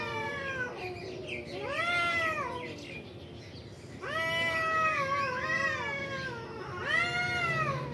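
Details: Caterwauling from two cats in a fight at a construction site, drawn-out arched wails that climb and fall, a sustained quavering yowl in the middle and another rising cry at the end over faint background hum.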